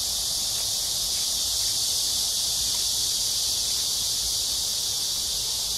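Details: Cicadas in chorus at Amsa Ecological Park on the Han Riverside, Seoul, South Korea, on a hot early summer evening, July 26, 2021: a dense, steady high-pitched buzzing drone, unbroken throughout, with faint low rumble beneath.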